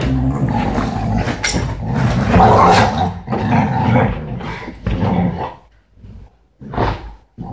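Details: Dogs on a sofa: rough, low growling and roaring bursts during play, loud and overlapping, broken by short pauses and ending in a few separate snarling outbursts.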